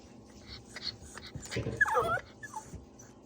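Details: Pomeranian during sit-and-wait training at mealtime gives a short high, wavering whimper of about half a second, preceded by soft snuffling and faint movement noises, with a person saying yes afterward.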